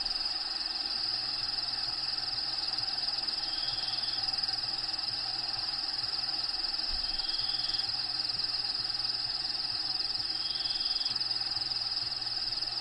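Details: Crickets sing a steady, piercing trill inside a bearded dragon's vivarium for the whole stretch, accompanied by quiet low rhythmic pulses from natural habitat sounds playing behind.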